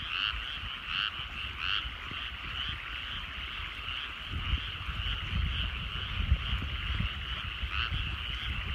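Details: A steady frog chorus over countryside rice paddies as the sun sets. Several loud pulsed croaks sound early on, then fade into a constant trill before returning near the end, with low-frequency rumbling throughout.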